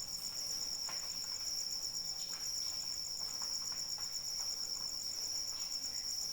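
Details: Cricket calling in the rain: a steady, high, finely pulsed trill runs without a break, with soft rain patter and scattered drip sounds underneath.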